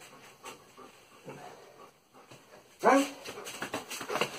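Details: German Shepherd named Salvo during a training session gives one short, clear, falling whine near the middle. Louder scuffling bursts follow it, and quiet indoor noise comes before it.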